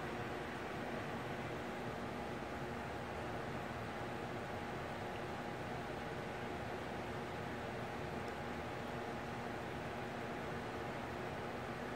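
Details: A continuous mechanical drone fills the whole stretch, with a low hum and even hiss like a fan or running engine. No animal voice stands out anywhere.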